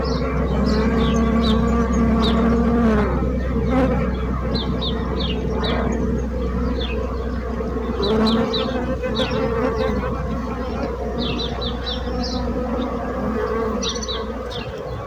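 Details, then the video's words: Bees buzzing as a steady, droning hum with layered low harmonic tones that swell and fade slightly, while small birds chirp in short, high, repeated notes behind the swarm. "So brutzit abelles - Bees sound - Bees buzzing sound effect"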